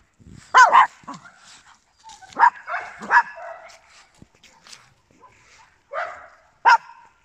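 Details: Small dogs, papillons and a Yorkshire terrier, barking indoors in short sharp bursts: a quick double bark, a pair of barks around two and three seconds in, then two more near the end, with quiet gaps between.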